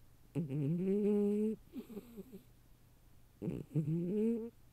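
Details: A female cat sleeping in a cardboard box, which she prefers over her proper cat bed, snores about as loudly as a person: two drawn-out, tonal, slightly rising snoring breaths over a second long, with softer rattling sounds between them.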